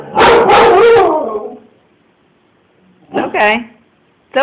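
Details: A pet Siberian Husky named Baloo reacts to a man chasing his kid down the street. A loud burst of rough barking lasts about a second, then quiet, then short strained yelps near the end.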